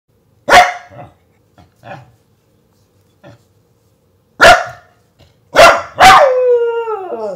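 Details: A Dachshund, which can be aggressive at times, gives sharp, loud barks, the last one drawn out into a falling whine.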